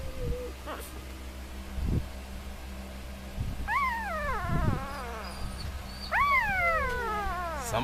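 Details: Sleeping puppies only three days old, seemingly dreaming of chasing rabbits, give two bursts of wavering, descending whines after a quieter start, with a constant low background hum.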